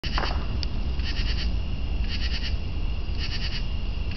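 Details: Northern true katydid calling: raspy, pulsed buzzes of a few rapid clicks each, given in short bursts about once a second, over a steady low hum.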